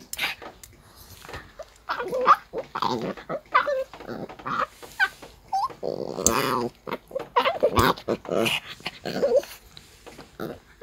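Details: Annoyed Maltese complaining during brushing, giving low growly grumbles and one sustained wavering moan near the middle, surrounded by scratchy brush strokes and clicks indoors.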